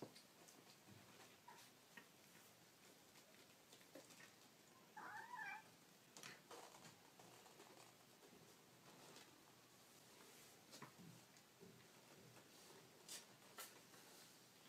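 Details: Baby kittens mewing: one short, thin, high mew near the middle. Quiet indoor background with soft rustling and light tapping.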